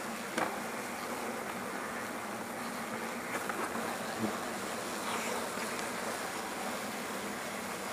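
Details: European hornets collecting in an insect net during removal of a large nest from a rest hut at a facility in Azuchi, Omihachiman, Shiga, Japan; dense, continuous droning buzz with a few sharp clicks and taps.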